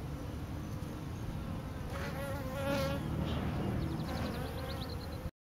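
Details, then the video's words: Swarming bees gathered on a pine tree give off an unbroken low hum, with passing bees adding brief louder whines and rapid high ticking before the sound cuts off abruptly. "Bee swarm"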